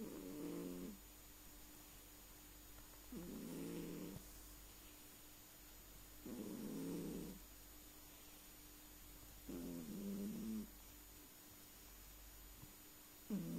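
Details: Pet cat sleeping indoors and snoring, each low raspy breath lasting about a second and repeating roughly every three seconds in a steady rhythm, with quiet pauses between and a faint constant electrical hum.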